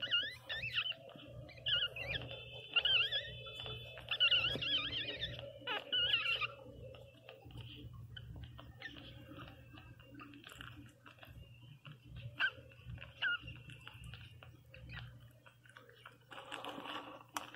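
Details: Newborn Pinscher puppy named Teco crying loudly indoors: a run of high, wavering squeals with stacked overtones over the first six seconds. Then only faint scattered squeaks over a low steady hum.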